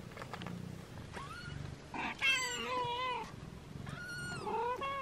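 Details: Six-day-old kittens, a black one named Yami and a lavender one named Hisu, being washed by their mother cat; several high, wavering mews overlap in quick succession, some rising then falling, over a low steady purr.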